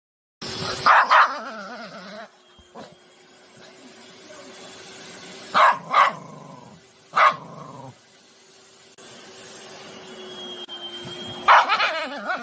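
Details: Angry poodle puppy barking at a vacuum cleaner indoors: sharp single barks at about 1, 5.7, 7.2 and 11.5 seconds, with a steady appliance hum and whine underneath.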